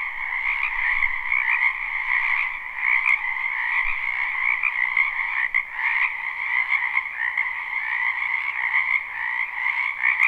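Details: Many frogs croak in a spring wetland behind a house, recorded live without looping: a dense, unbroken chorus of high, trilling pulses layered in two steady pitch bands. A couple of faint clicks break through.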